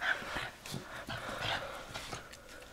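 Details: Mandoo, a Miniature Schnauzer, during a tug-of-war game recorded around March 24, 2016; short rough growly vocal bursts with mid-pitched tonal bits, uneven and clustered, plus rustling and scuffling from the play.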